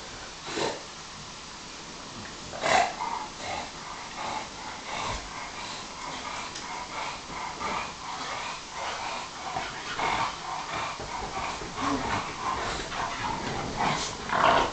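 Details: Pet dogs Bob and Alfie, with a Bulldog, Sarplaninac and Staffordshire bull terrier among them, roughhouse on a couch. Gruff growling bursts, some sharp, recur steadily through the tussle, with rustling between them.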